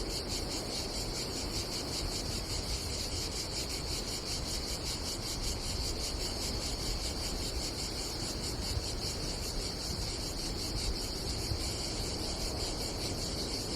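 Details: Continuous shrill buzzing of cicadas at a campsite by the Adriatic Sea in Croatia on a summer day, evenly pulsed and unbroken, while low wind and sea noise fill the bottom.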